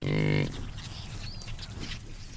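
A buffalo gives one short, deep, rich moo lasting under half a second. Faint hiss and a soft high tone follow.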